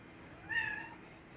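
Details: Domestic cat meowing because it wants to drink coke, a single clear tonal meow about half a second long that rises then gently falls, over a quiet indoor background.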